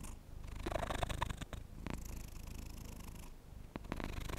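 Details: Domestic cat purring up close indoors, a low rumbling drone with a few soft clicks and brief breaks, lasting about four seconds.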